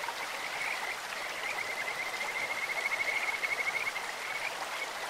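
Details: Whistled, rapidly pulsed trill of a Kajika frog at a clear stream, building over about three seconds and then fading, set against a steady wash of running water.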